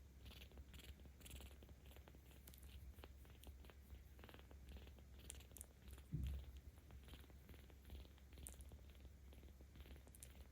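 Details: Seventeen-day-old kitten purring while petted, cared for by cat volunteers in Tama City, Tokyo, filmed 10 October 2022; steady low rumbling throughout, with a brief soft bump near the middle and faint rustling.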